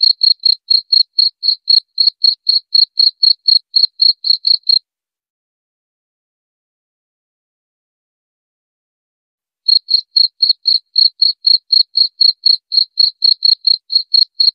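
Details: Cricket giving rapid high chirps, roughly four each second, for about five seconds. About five seconds of silence follows before the same even chirping resumes to the end.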